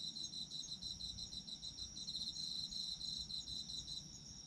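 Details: Autumn insects trilling together, a dense high-pitched pulsing chorus with a steady ringing tone above and quick rhythmic chirps beneath, fairly constant throughout, faint low hum behind.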